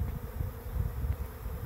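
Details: A big swarm of honeybees arriving at a swarm trap and starting to cluster on a tree, giving a steady, droning hum under heavy low rumbling from wind or handling.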